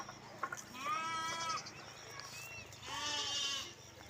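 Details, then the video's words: Lambs giving two faint, thin bleats about two seconds apart over a steady background hum and low rumble. "Sound of Sheeps , Sheep sound , Lamb noises"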